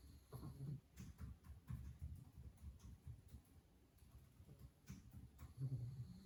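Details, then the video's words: Low, grumbling snores from a sleeping pug worn out by yesterday's play, a steady run of rough breathing bursts that swell louder toward the end, with faint clicks and a quiet room hum. "Cute Dog Sleeping & Snoring"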